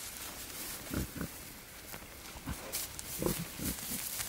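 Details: Wild boar male courting a female outdoors. A few short, gruff grunts arrive in quick pairs, near one second and again around three seconds, against a hissing, rustling background.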